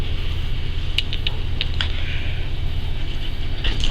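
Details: A steady low rumble fills the clip, with a few brief clicks and taps scattered through it and no animal voice.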